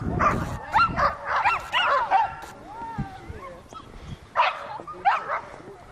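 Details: Whippet Volk at circle training in Novy Milet, 30 October 2016, giving excited, irregular high yelps and wavering whines in bursts, with a quieter stretch of thin whining between them.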